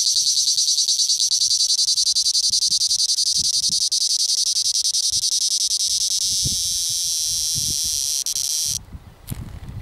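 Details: A male cicada in southern Italy gives a loud, harsh, high-pitched rasping buzz that stops abruptly near the end.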